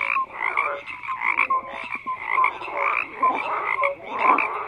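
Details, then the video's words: Overlapping frog croaks in a busy chorus, rough pulsed calls rising in waves alongside brief higher whistled notes, steady and unbroken. "FROGS CROAKING"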